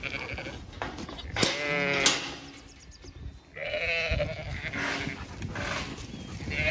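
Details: Zwartbles sheep bleating in a blooming orchard on a regenerative farm in County Kilkenny, Ireland, after an evening stampede; two wavering, harmonic bleats rise over a soft hiss, with a further quieter bleat overlapping near the end.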